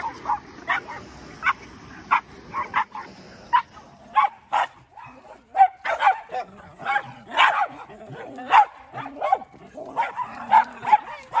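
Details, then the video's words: Two Cairn terriers, Quincy and Easton, noisy on walks and in their fenced yard: irregular, overlapping barks and high yips with short whining tones, growing busier and denser toward the end. "Crazy Cairns - pulling barking"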